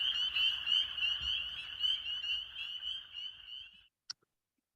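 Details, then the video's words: A dense chorus of spring peepers in Maine, many high, clear peeps blending into one continuous shrill ringing. "that was the sound of spring peepers chorusing and that is of course one of my favorite sounds of all time"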